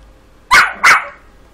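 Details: A 5-month-old Yorkshire terrier, being taught to count, gives two quick, sharp, high-pitched barks in close succession.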